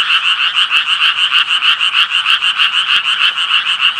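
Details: Japanese tree frogs giving a regular series of scratchy, reedy croaks, about three per second, with a few sharp clicks over a steady background chorus.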